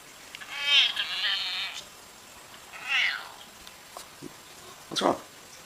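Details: Housecat making two meows a second or so apart, the first stretched and wavering, the second short. Clicks and a brief human voice follow near the end.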